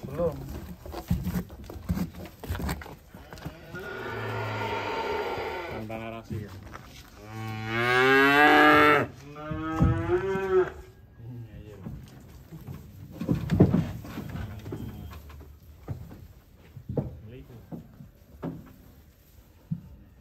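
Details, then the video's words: Cattle being unloaded from a truck in Indonesia. A loud, drawn-out moo with a rising-falling tone in the middle, plus a shorter lowing before it, amid clatter, voices and background music. "SAPI LUCU TURUN DARI TRUK"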